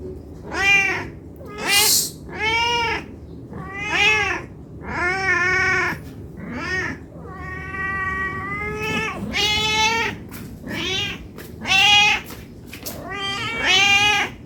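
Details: Hungry domestic cat begging for food, meowing non-stop: about eleven harmonic, arching meows, mostly short, one long drawn-out call near the middle, in a quiet indoor setting.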